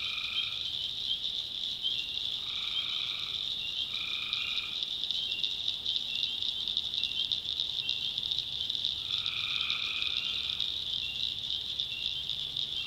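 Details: Swamp tree frogs at night in backwoods North Carolina, a constant piercing trill chorus overlaid by short nasal droning calls in bursts, then quieter stretches of steady chorus alone.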